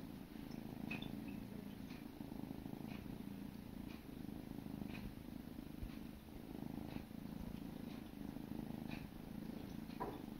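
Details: Sibling kittens grooming each other, purring steadily in a low continuous rumble, with faint licking ticks recurring about once a second.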